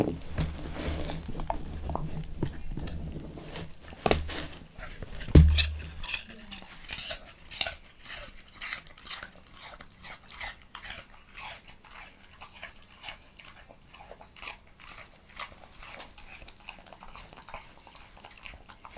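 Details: Montana, a Leonberger dog, eats an apple indoors. A low hum opens, then a loud thud, followed by a long run of sharp, irregular crunches and clicks as the fruit is bitten and chewed.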